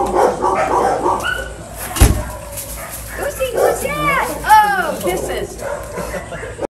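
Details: Three-year-old Bluetick Coonhound reunited with his owner after time in a North Carolina animal shelter, giving short arched whines and yelps over excited human voices and a loud bump.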